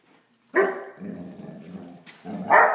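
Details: Great Dane puppy Blacky playing with a toy dog: a loud bark, then a sustained low growl, ending in another bark.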